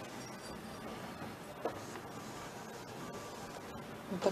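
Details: Quiet indoor room hiss with scattered faint clicks and a soft rustle near the end, no animal voice audible.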